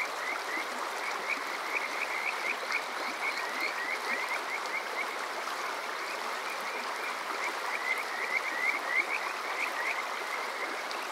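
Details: Kajika frogs in chorus during a summer night at Yokoze, Chichibu, Saitama, Water Park Shirayama, recorded on a TASCAM DR-05X: continuous rapid rising whistled notes from several frogs, some louder, others distant, with flowing water throughout.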